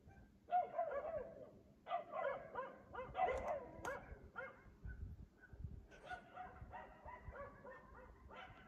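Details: Nighttime barking from a dog in Aliseda (Los Galaperos) at 3 AM while the owners are asleep, repeated every night; irregular bursts of sharp, yelping barks throughout, some in quick doubles and triples, with a low background rumble.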